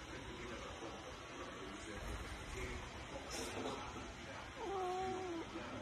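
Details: Siamese cat talking and playing, giving one drawn-out meow near the end, a steady tone that dips slightly and then levels off, over constant background hiss and broadband room noise.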